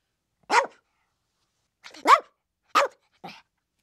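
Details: A chihuahua lets out four short yaps, the first alone, then three in quicker succession, the last softer and breathier, with silence around them.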